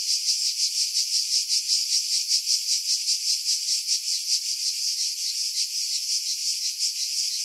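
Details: Cicadas in pine trees about 50 m above the sea at Pefkos Bay, Skiros Island, Greece, July 2018, recorded on a Sony RX3 with external mic: a dense, high, buzzing drone pulsing roughly three times a second, with wind filtered out.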